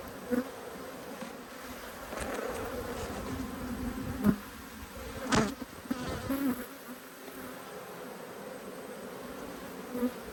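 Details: Angry honey bees disturbed during inspection of two hives, a continuous low droning hum with a fainter upper tone, broken by a few soft knocks and clicks.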